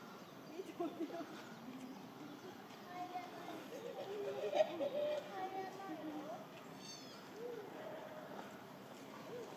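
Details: Annie, a young female western lowland gorilla and daughter of the silverback Shabani, screams in anxious, wavering squeals and hoots outdoors before breakfast in May 2024, separated from her family who had not come out; she calms on seeing her father.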